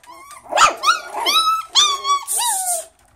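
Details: Puppies of a Miniature Schnauzer, poodle and Chihuahua cross crying in a small room: several drawn-out, high whining yelps, some sliding downward, with scuffling noise between them.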